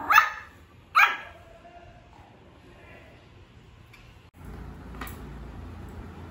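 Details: A young male Pomeranian, just starting to bark, gives two quick high yaps a second apart, then a pause with a soft rustle and a low hiss, and a final yap at the end.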